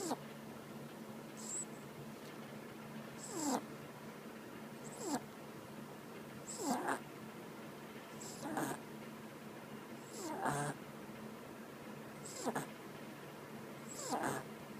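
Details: Loud snoring from Chacha, a sleeping female dog: a steady run of about eight rasping, wheezy snores spaced nearly two seconds apart, each breath ending in a soft whistle, with a faint steady hum in the background.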